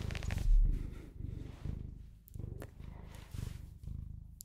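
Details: Pet Bengal cat purring steadily at close range, a deep rumbling pulse with loud and soft phases alternating about every half second as it breathes in and out, a few faint clicks above.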